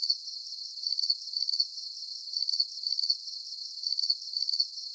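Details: Cricket song of bright, shrill chirps, each a rapid cluster of pulses, repeated roughly twice per second over a soft high hiss, clean of other sounds.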